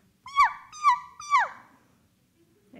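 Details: A male bonobo gives a pant hoot: three quick, high, birdlike hoots about half a second apart, each sliding up then dropping sharply. It is faster and higher than a chimpanzee's pant hoot, over a faint background hum.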